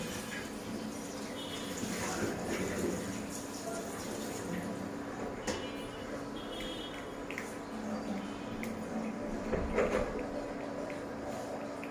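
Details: Quiet indoor room sound with soft talking, dripping and trickling water, a low steady hum and faint background music, with no animal voice.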